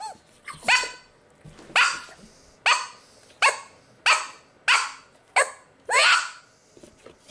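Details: Pet pit bull barking while reacting to noises: eight sharp, loud barks, each with a quick fading tail, spaced roughly every 0.7 seconds over a quiet indoor background.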